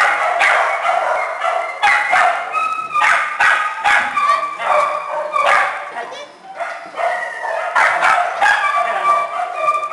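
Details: Small dogs and a puppy in a shelter kennel, several yapping at once in quick, uneven bursts of high-pitched barks and yips, with a short quieter gap around six seconds.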